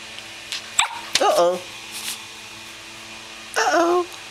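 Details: A Pembroke Welsh Corgi playing with a soft toy gives short, wavering whiny yowls in two bursts, with soft knocks between.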